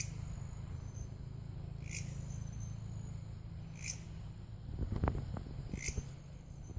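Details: Belalang kerek grasshopper producing three brief scratchy chirps spaced roughly two seconds apart over a constant high-pitched hum and low background rumble, with a burst of handling knocks near the end.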